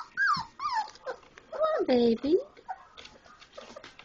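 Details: Labrador Retriever puppies, four weeks old, playing after eating; loud sliding whines that fall in pitch, then a longer wavering howl-like whine and a rising yelp, followed by softer scuffles.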